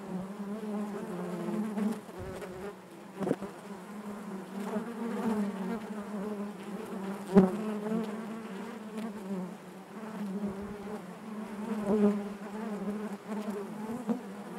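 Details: Honey bee colony humming in the hive, an even droning buzz with layered harmonics that rises and falls gently, dotted with scattered ticks and brief knocks from bees crawling near the comb.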